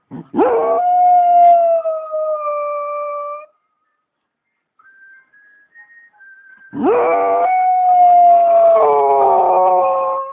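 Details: A cocker spaniel "singing" along to the TV gives two long, steady, mournful howls, each rising sharply then holding a wavering tone.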